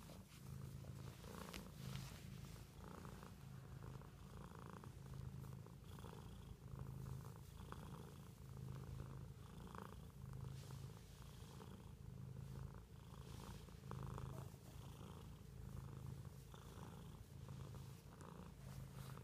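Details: A house cat purrs continuously for nearly twenty seconds, a low buzzing drone with regular breath-linked pulses around once a second and faint scattered clicks.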